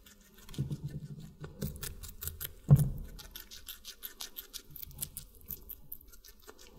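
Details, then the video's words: A guinea pig eating watermelon: quick, crisp crunching clicks in rapid runs, with a few soft thumps and one louder knock near the middle. "Guinea Pig Eating Water Melon"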